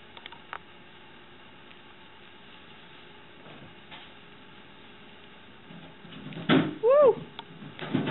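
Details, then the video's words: Domestic cat named Moxie, wearing a pink sweater indoors, trying to eat the carrot of a rabbit named Nub; a quiet room with faint rustles, then one short arched meow near the end amid a person's exclamations. "Cat Tries to Steal Rabbit's Carrot"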